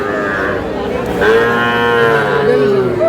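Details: At a cattle market in Cumilla, Bangladesh, on 21 July, among small bull and heifer calves for sale: one long, steady moo that sags slightly in pitch over about two seconds, with a hum of market voices behind it.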